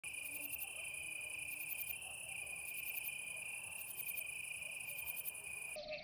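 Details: Grey bush-cricket, Platycleis grisea, recorded at Nesvady, Slovakia, on 22 July 2023: very high, short chirp groups of rapid pulses repeated about once a second over a steady high hum.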